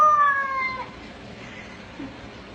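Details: House cat 'talking' with one loud meow right at the start, bright harmonics sinking gradually in pitch before dying away, followed by near-quiet indoor ambience and a faint soft thump.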